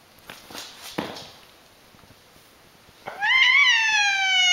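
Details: Funny-sounding cat meow begins near the end, a strong rising-then-falling wail cut off as the clip stops, after a few soft thumps and handling noises.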